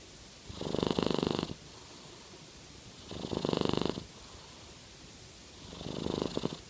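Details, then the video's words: Jade, a Norwegian Forest Cat, snores with a purring rasp: three raspy, buzzing breaths about a second long, separated by near-silent gaps of roughly two seconds, in a quiet room. "Norwegian Forest Cat - Jade Purr Snoring"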